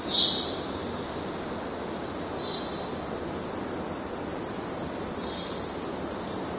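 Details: Kerala cicadas, males calling in courtship: a loud continuous piercing whine dominates, with a few faint lower hissing bursts near the start and end.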